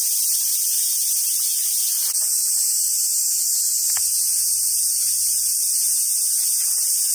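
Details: Summer cicadas at a Japanese macaque park in Sumoto, Hyogo, Japan: a continuous high, hissing drone, with a short low hum and a couple of knocks in the background.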